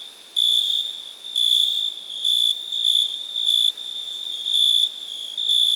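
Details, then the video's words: Cricket calling in a continuous shrill high trill, broken into louder bursts about once per second, with a constant background hiss of other insects. "Cricket sound"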